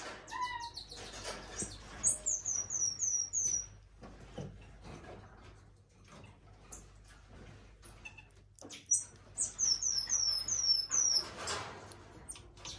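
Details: Elderly female common marmoset kept at a zoo, balding and white-furred all over, gives rapid bursts of very high, short downward-sliding chirps strung in quick rows, two main bouts separated by quieter knocks and clattering.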